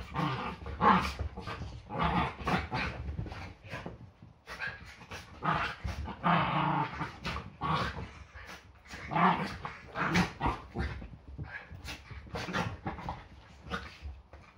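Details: Yorkshire Terriers play fighting on a Sunday morning before breakfast, a daily ritual; rough, throaty growls and short snarling bursts come in quick succession, with brief yips and scuffling throughout.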